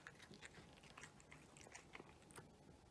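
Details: A cat eating its meal indoors, with fast, crisp crunching bites and chewing clicks repeating irregularly several times a second in a quiet small room.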